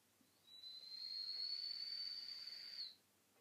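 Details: Simon, a dog sleeping in the afternoon with his nose resting on his feet, gives a single steady high whistle through the nose, held level for about two and a half seconds, then stops; otherwise quiet.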